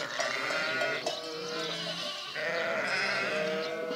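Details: Dense chorus of sheep bleats, several animals calling at once in wavering, nasal tones, swelling louder again after a short dip midway.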